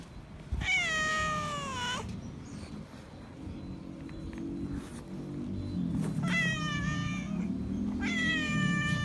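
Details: Loud meows from a feral cat seeking attention and affection: one long falling meow at the start, then two more after a pause, each rich in overtones, over a continuous low hum and murmuring background.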